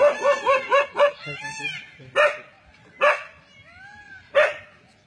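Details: Forest dog confronting a leopard, opening with five quick ringing barks, then three isolated sharp barks about a second apart, with a faint whining tone in the gaps.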